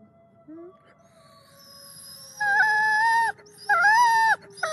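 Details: Wolf. Several wolves give drawn-out, tonal howls, each note held about a second before sliding or breaking off. Howling is their best-known way of communicating with one another.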